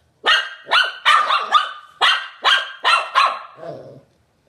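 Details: Shih Tzu (Canis familiaris), bark.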